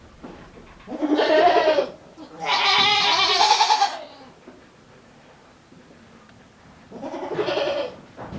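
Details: A male goat at a handmade goat farm bleats in an odd, strained voice: two long hoarse bleats back to back, then a shorter, fainter one after a pause of several seconds.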